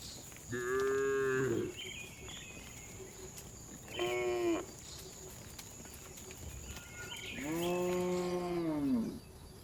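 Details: Afternoon herding of tame cows returning to the barn; three separate moos spaced apart, a short one, a brief clipped one, and a longer arching moo near the end, with quieter calls and rural background between.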